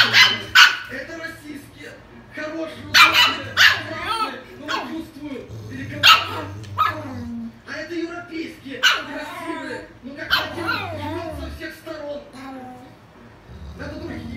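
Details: A Griffon and a Rottweiler, two pet dogs, squabble: sharp, loud barks come in scattered bursts, several close together, with quieter whining and yelping between them and a person talking throughout.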